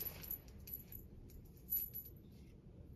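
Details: Quiet outdoor ambience after rain: a steady low rumble with scattered light jingling and clicking, like a small bell or keys, and no animal voice.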